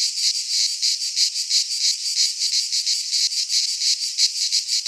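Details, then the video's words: Chorus of cicadas in a Greek pine forest at midsummer, shrill metallic buzzing that swells and dips in regular pulses about three per second. "Cicadas singing in midsummer - Nature sounds from the Greek fauna - Sounds of cicadas"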